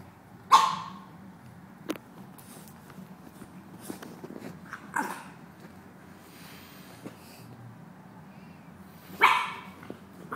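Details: A grumpy-natured female dog playing with another dog gives a sharp, loud bark at the start and another near the end. In between come faint grumbles, scuffling and small knocks of play.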